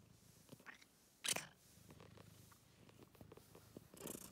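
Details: Purring kitty in a scarf, filmed indoors at close range: a continuous low throbbing purr runs throughout, broken by a loud sharp squeak-like burst early on and another noisy burst near the end.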